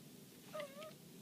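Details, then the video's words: Black cat at home, eager to catch a fly, gives two brief, soft mewing notes, each a short tonal sound dipping slightly in pitch, against a quiet indoor background. "I really want to catch that fly mom/black cat"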